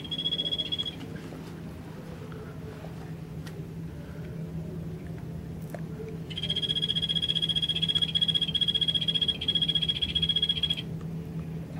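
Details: Captive Golfodulcean poison frog at Poznań's Old Zoo, in the newly opened part of the cold-blooded animals pavilion: a brief high trill, then a long, even, rapidly pulsed buzzing trill of about four seconds, over a steady low hum.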